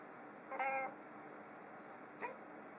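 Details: Female house cat indoors in autumn, meowing in surprise from a desk away from the window after seeing a huge flock of birds outside: one clear, drawn-out harmonic meow, then a faint short second call in a quiet room.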